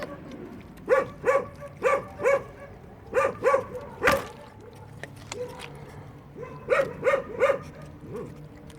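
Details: High, clipped puppy yelps while puppies eat at a building site, coming in bursts of three or four with brief pauses, plus a sharp knock and soft background voices.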